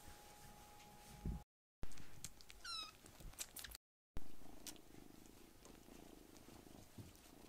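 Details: Rescued baby kittens, brothers Uri and Koro joining little Piyo, pile onto their foster carer's lap. A deep purring rumble carries on under one short meow that rises then falls. Soft rustling follows, and two brief silent gaps break it up.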